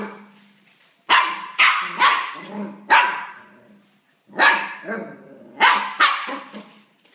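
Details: Play barking from a pet dog aimed at a new cuddly toy rabbit it treats as a playmate: two bursts of three or four harsh, rapid barks separated by a short gap, with a soft low growl between.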